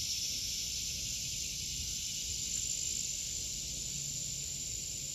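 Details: Cicadas in an August garden fill the air with a continuous, high, hissing buzz that never pauses.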